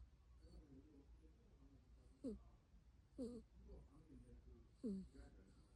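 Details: Pet cat snoring at home: three quiet, nasal whistled snores, each a short rising-falling tone roughly one to one and a half seconds apart, over soft low background hum.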